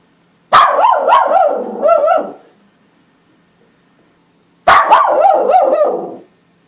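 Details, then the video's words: West Highland White Terrier giving two quick bursts of high, sharp barks, each run of several yaps lasting over a second, separated by a long quiet pause. "OUÇA O SOM DO CACHORRO TERRIER BRANCO DE MONTANHAS OCIDENTAIS"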